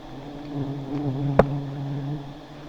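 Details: Giant honey bees buzz as their high nests are taken, a deep humming drone that swells slightly, broken once by a sharp click.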